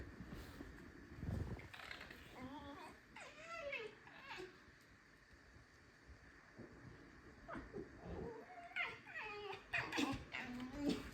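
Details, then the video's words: Alisa, a pet fox in a kitchen, keeps up her complaining squeaks: two bursts of thin, bending, whiny notes, a few at a time, separated by several seconds of quiet room noise. "Алиска скрипит на кухне, жалуется на жизнь"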